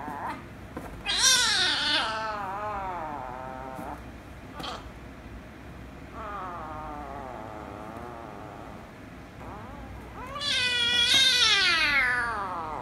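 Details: Rescue kitten and ginger kitten, indoors, the rescue kitten made angry before kissing and licking later: several long harmonic meows, a loud rising-falling one near the start, two softer wavering ones mid-clip, then a loud high meow near the end.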